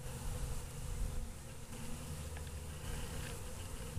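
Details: Honey bees stirring as they wake from a long winter: a dense, continuous low buzz of many insects, even and unbroken throughout.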